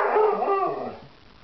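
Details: Irish Setter, very vocal about wanting to eat, gives a short, wavering howl-like cry that slides downward and fades out within a second.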